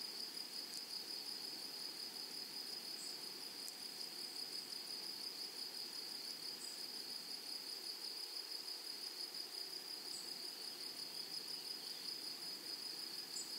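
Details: Grasshoppers in a flowery meadow or prairie give a steady high-pitched shimmering buzz, with faint pulsed ticking running through it for the whole stretch. No other animals or voices are heard, only soft background hiss.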